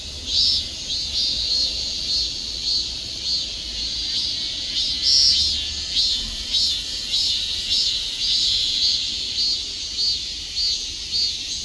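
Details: Cicadas buzzing continuously at a high pitch, with uneven pulsing surges of a rasping trill layered over a persistent shrill background chorus.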